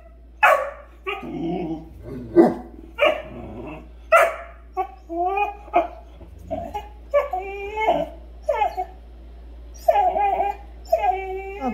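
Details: A Great Dane gives a string of short barks, yips and drawn-out whining groans during morning play, refusing to let two other dogs into her room.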